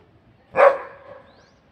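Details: One abrupt dog bark with a sharp onset and a brief trailing tone, otherwise near silence around it.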